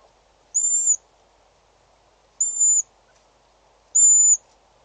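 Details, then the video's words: Slender mongoose calling at Djuma waterhole in South Africa, 6 July 2013: three thin, high whistled notes, each about half a second long, spaced roughly every two seconds, over a steady low hum. "Slender mongoose call"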